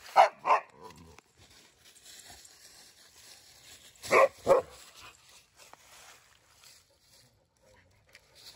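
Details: Playful barking from a German Shepherd and a Boxer at play with rescued dog Bella: two sharp barks open, then a pair of louder barks near the middle, separated by quiet shuffling.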